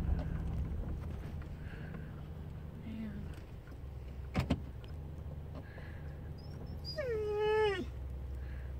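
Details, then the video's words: A female pet dog makes a cute noise at the sight of squirrels: one drawn-out whine near the end, sliding down then holding steady, over a low steady hum. "Dog saying squirrel"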